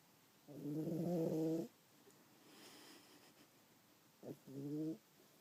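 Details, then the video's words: Domestic cat snoring loudly while asleep, compared to a fat old man with sleep apnea; a long harmonic rasping snore of about a second, then a short snort and a second shorter rasp. "Dante Snoring His Face Off"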